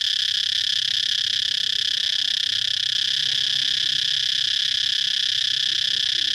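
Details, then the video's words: Outdoor cicada chorus: an unbroken, shrill electric hum at a constant loudness from start to finish, with no pauses or changes in pitch and no other clear sounds. "Circade chirping noise"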